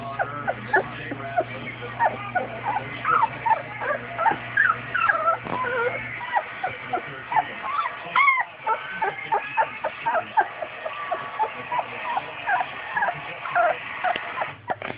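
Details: Newfoundland puppies, two weeks old, whimper and squeak in rapid, irregular bursts of short high rising and falling peeps, with a faint low hum under the early part.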